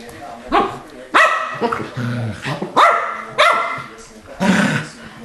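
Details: Keeshond dogs Charlie and Fiffi indoors, loud sharp barks about every half second to second, harmonic and abrupt, with a lower growl-like sound near the middle and human voices in the background.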